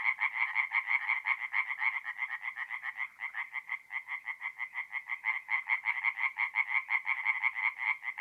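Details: Singing tree frogs at a forest pond on an April night in north-east Italy, giving quick, regular, nasal croaks at close range, with a short slower stretch midway.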